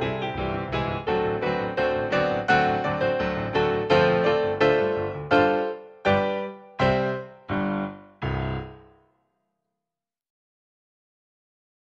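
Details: Cheerful electric piano melody with regular chords that slow into a few final struck notes, then silence from about nine seconds on.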